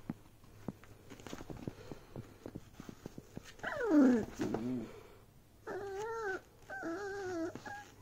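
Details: Beagle puppy playing with a bag indoors: soft rustling and clicks, then a loud falling whine around four seconds, followed by two steady wavering whines near the end.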